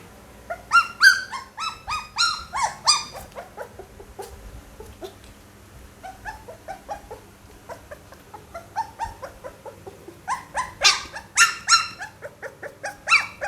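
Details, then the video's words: Pit Bull pup producing bursts of high whining yelps, a busy run early, a quieter stretch of soft whimpers in the middle, then another loud cluster of squeals near the end. "เสียงหมาน้อย ลูกพิทบูล"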